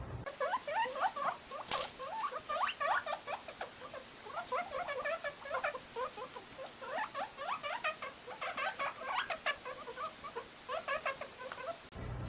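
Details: A guinea pig (Cavia porcellus) gives a loud, rapid, squealing locating call, yelling for a cage mate taken out onto a lap; the cage mate often answers back with the same call.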